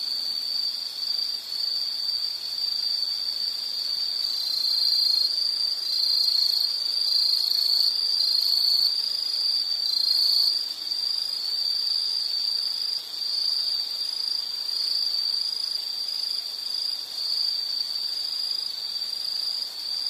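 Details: Nature scene with insects calling, a steady piercing trill joined midway by a second overlapping chirping voice, then settling back into one unbroken high drone.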